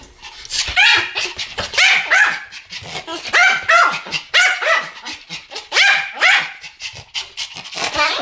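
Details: Pomeranian dogs barking in a duet, sharp high yapping barks fired in quick overlapping bursts with short pauses between volleys, steady and loud throughout.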